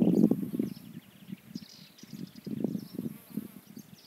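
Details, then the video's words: Bee circling flowers while searching for nectar, its low hum pulsing in quick waves, loudest at the start, then fading and swelling again as it drifts near and away, with faint distant bird chirps above. "نحلة تحوم حول الأزهار بحثا عن الرحيق"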